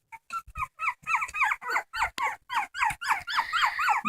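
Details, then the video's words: Dog that keeps on crying, giving a rapid run of short whimpering yelps, about four per second, pitched and bending, growing louder and more insistent toward the end, with a few soft thumps. "Funny dogs crying"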